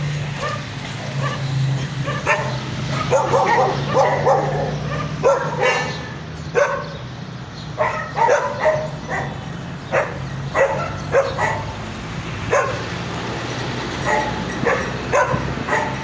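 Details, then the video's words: Dogs gathered at garbage bark in irregular bursts, some clustered and some single, over a steady low hum, with background clatter throughout. "The sound of dogs at the garbage"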